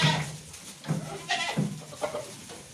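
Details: Thirty billy goats kept together bleat repeatedly: short, harsh, nasal calls with a low buzzing base, about four in under three seconds, the first loudest, with shuffling noise between them.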